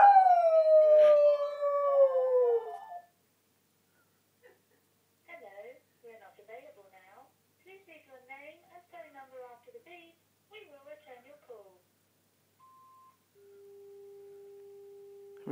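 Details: A dog that hates the phone ringing gives a long, loud howl sliding downward in pitch at the ringing phone, followed by softer electronic ringtone tones.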